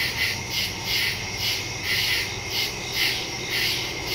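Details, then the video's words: Night chorus of crickets in woodland, captured September 2, 2023 with a Shure MV88+ stereo mic on a Samsung Galaxy S22 Ultra: high, shimmering trills swell and fade in regular beats, roughly two per second. "Crickets in the woods at night"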